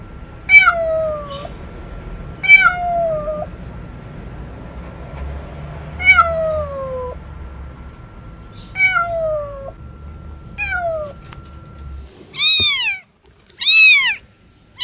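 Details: Cat meowing loudly and strangely: five evenly spaced, downward-sliding meows, then three short, higher, arching mews in quick succession at the end, in a quiet room.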